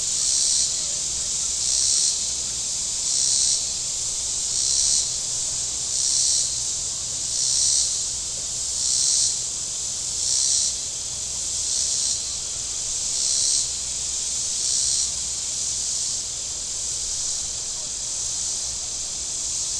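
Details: Shoreline cicadas at Table Rock Lake, southern Missouri, on a hot day with boats out: a shrill, sizzling drone rising into loud surges about every one and a half seconds, steady and rhythmic, over a soft low hum.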